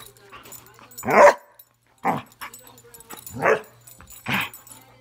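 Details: Playful Airedale Terrier barking: four loud, rough barks spaced about a second apart, each a broad burst, over a faint low hum.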